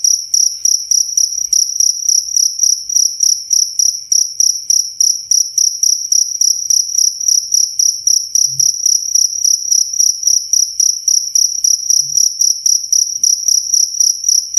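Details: Steady, clear cricket song: rapid high, ringing chirps pulsing roughly three to four times per second without pause, plus a couple of faint low knocks.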